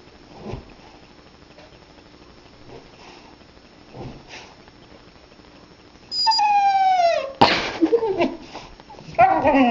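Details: Pet husky, upset while trying to bury its bone in the couch, first quiet with faint snuffling, then a drawn-out falling whine and a sharp yelp, followed by a rising, wavering howl-like vocal at the end.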